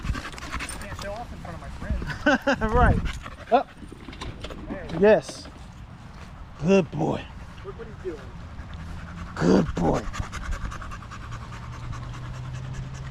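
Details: Evening at the park with male dogs: a Staffordshire Bull Terrier gives short, bending whine-howls spaced a few seconds apart between stretches of panting and low outdoor rumble.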